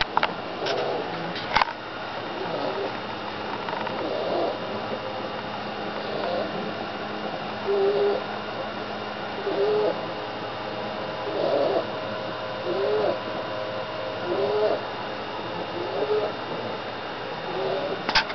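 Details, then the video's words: English Bulldogs snoring softly, each breath carrying a short, low whistling tone. "My snoring english bulldogs"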